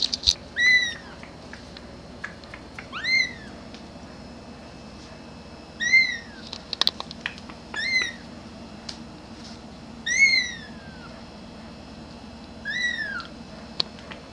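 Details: A grey kitten keeps meowing for its mother, high arched cries, some rising sharply, repeated every two to three seconds, with occasional clicks and a low background hum.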